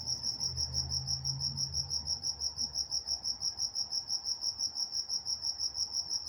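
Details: Nocturnal cricket chorus from Walnut, California: rapid shrill chirps, roughly three per second, ring steadily while a faint low hum passes underneath early on.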